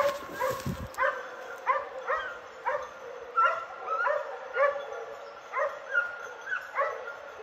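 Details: Hunting dogs baying as they flush a wild boar on a hunt, giving clear, high, evenly spaced barks about every half second, after a short rustle at the start.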